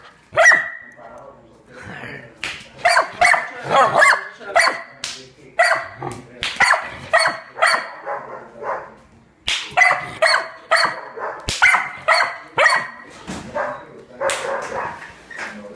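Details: Pit bull attacking an intruder, barking fiercely in dense clusters of harsh, sharp barks with a few brief gaps, some barks slightly higher and yelping.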